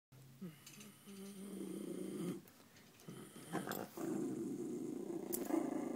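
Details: A silver miniature schnauzer gives low, rough, rumbling growls in long stretches with brief pauses, playing as his owner pokes at him; he likes to paw at the owner in response.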